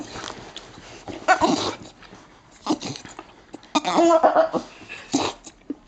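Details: A female Staffordshire Bull Terrier wearing a cone for an eye ulcer makes odd grumbling, snorting and whiny noises in short bursts while being rubbed down and wanting an apple.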